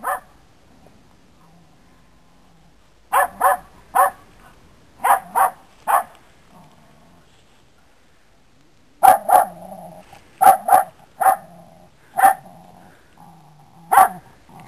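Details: Dog set against a cat, giving loud sharp barks in bursts: four or five quick barks near the third second, then a longer run of about eight barks after a quiet gap.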